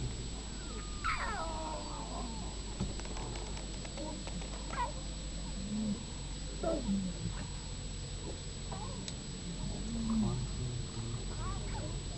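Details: Young lions protesting in Masai Mara, Kenya, January 2010, driven off with the females so the male can eat; scattered thin wavering whines and mews, some sliding downward, over a steady low rumble of background noise.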